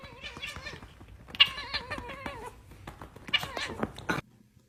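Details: Domestic cat in a humorous pet compilation uttering a run of wavering, yowling meows, rising and falling in pitch across several bursts, with indoor background noise.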